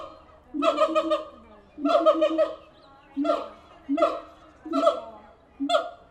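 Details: Captive siamang apes at the Tulsa Zoo calling loudly: six bursts of stacked, barking hoots and whoops, each about half a second long, arriving roughly every second with short pauses between.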